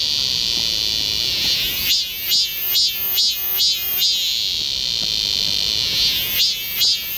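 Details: A summer cicada chorus in the forest of Galsan Park, Seoul, with a continuous shrill hiss overlaid by loud buzzing pulses about twice a second that swell and fade in runs before settling back to a drone.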